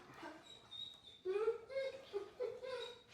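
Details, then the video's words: Dog whining during training to hold a place command, a habit blamed on never being taught to relax; thin high whines, some steady and some wavering, in several short bursts, with faint indoor room sound. "how to STOP your dog from WHINING"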